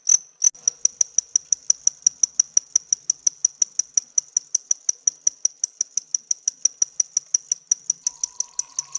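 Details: A home-bred male cricket, seen close up, chirps in a fast, steady series of short, high-pitched pulses made by rubbing veins on its hard outer wings together; only males call.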